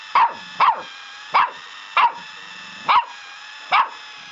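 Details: Young dog yapping at a foot pedicure roller: six brisk, high barks, some in quick pairs, others spaced nearly a second apart, over faint constant hiss.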